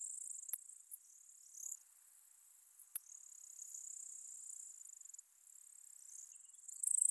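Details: Ornate bright bush-cricket (Poecilimon ornatus) singing at Seewiesen, Germany, on 28 June 2019: a steady, very high, hissing buzz that runs throughout, broken by a few sharp clicks, with faint fluttering swells in loudness.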